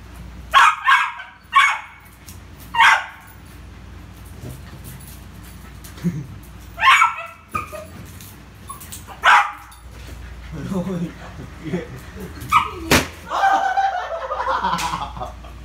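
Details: Poodle named Rio playing with a ball in the afternoon: a run of sharp barks, several close together near the start then scattered single yips, with people chatting in Vietnamese in the background.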